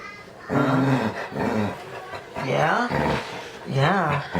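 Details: Pet dog named Nike 'talking' indoors with its owner, answering in drawn-out, wavering howl-like moans that rise and fall in several separate phrases, with a person's voice speaking between them.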